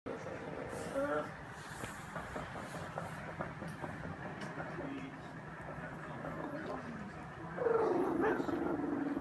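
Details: Bambi, a female family pug, whines while eating; short high nasal whines near the start and again near the end over steady clicking and smacking of chewing and bowl noise.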